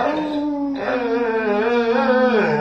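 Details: Dog lying in a weird position and 'talking', seemingly complaining about something: one long, steady, moaning howl-like whine with a wavering pitch, held for the whole stretch indoors.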